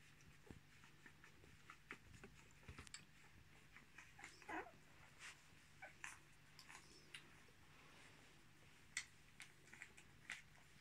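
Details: Litter of 10-day-old Miniature Australian Shepherd puppies, roan, born 10 March 2020, indoors; faint short squeaks and whimpers scattered through, with soft shuffling and breathing and a steady low hum behind.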